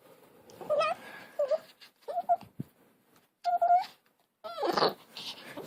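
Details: Pet dog from a compilation of dogs and puppies making weird noises and strange barks: five short, tonal yowling whines with clear harmonics, each bending up and down, separated by brief pauses indoors, the last one rougher and noisier.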